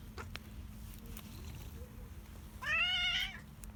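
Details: A ginger cat living in a basement has come outside wanting food and lets out a single clear meow that bends upward then falls, lasting under a second, over soft ambient hiss.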